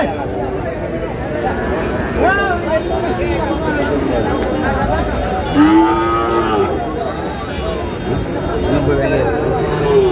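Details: Sahiwal bull calf lowing at a crowded cattle market in Bangladesh, bought by a Chittagong farmer on 5 June: two drawn-out, wavering moos, one early and a louder one near the middle, over steady crowd chatter and voices.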